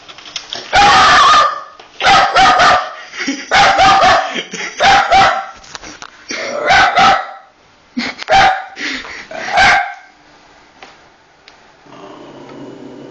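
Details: Pet dog, female, barking at a PS3 each time its eject button is pressed: loud sharp barks in quick groups of two or three, about seven bursts over ten seconds, then quieter rumbling at the end.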